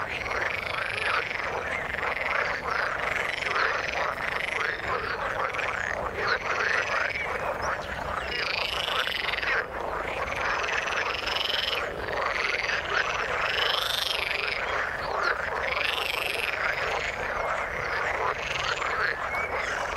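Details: A frog chorus in the water: many overlapping croaks and arching buzzy calls, with louder bursts every few seconds swelling out of a continuous murmur of callers.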